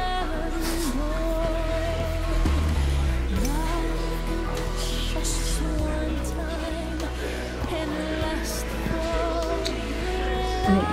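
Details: A pop song with singing and steady bass plays throughout, no animal voice.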